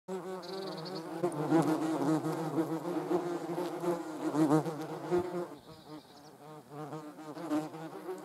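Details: A hornet attacking wasps: a steady, low droning buzz with rich harmonics that swells and fades in loudness, briefly thinning out midway before the humming resumes.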